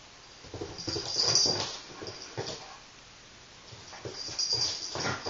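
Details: Iggy, a silver toy poodle, keeps trying to get Chance, a black cat, to wrestle in a kitchen; thin high whines near the start and again toward the end, amid scuffling thumps and clicking paws on the floor.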